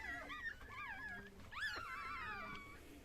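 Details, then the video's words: Female Chihuahua that has just given birth, with her puppy nearby indoors; several thin, wavering whimpers, one sharp rising yelp in the middle, then a long fading whine. "chihuahua doğum anı"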